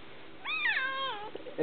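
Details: Young male kitten meowing while eagerly eating fallen pretzel crisps indoors; one drawn-out, harmonic meow rising then slowly falling, about 0.8 seconds long, followed by a short soft thump.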